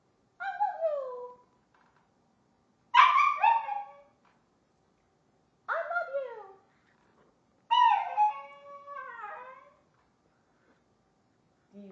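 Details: Pet dog 'saying' I love you back to its owner; four drawn-out, whiny howl-like phrases a few seconds apart, each wavering and falling in pitch, the last one longest.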